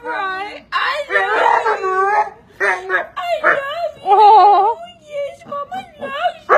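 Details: Pit bull taught to "say I love you" at home, vocalizing in short, warbling, wobbly-pitched howl phrases with sudden stops, alternating with a person's coaxing voice.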